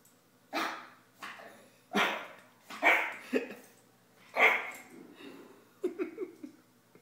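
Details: A roughly 9-week-old female Boston Terrier puppy gives a string of sharp, high yapping barks at uneven intervals while going crazy at herself in a mirror.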